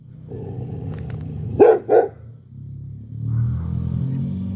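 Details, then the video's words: Red Chow Chow letting out two loud, gruff barks in quick succession, about a third of a second apart, against a low background hum with quiet rumbling afterward. "CHOW CHOW BARKING"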